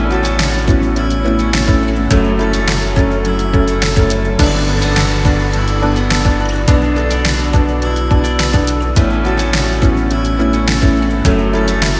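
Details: Gentle background music with a steady beat and sustained tones plays throughout, and no animal voice is heard.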